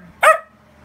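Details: A single short, sharp bark from Mic-Dog, a bossy wiener dog who objects to anyone leaving or getting up.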